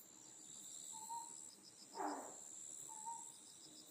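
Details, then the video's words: At night on Amami Oshima, an endemic Otton frog gives one loud, short, rasping burst in the middle, framed by faint whistled notes and a constant shrill insect chorus. "オットンガエルの鳴き声 Sound of Otton Frog"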